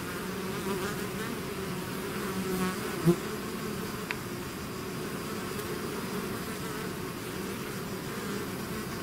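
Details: Bees swarming out of their hive make a continuous layered hum, low and even, with a brief louder buzz of a bee passing close at about three seconds and a faint click later.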